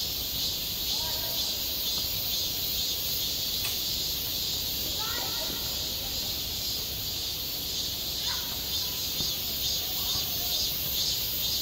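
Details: Steady shrill buzzing of cicadas over a school playground in midsummer, with scattered distant voices of people, likely children, calling out faintly beneath the chorus and a single sharp click.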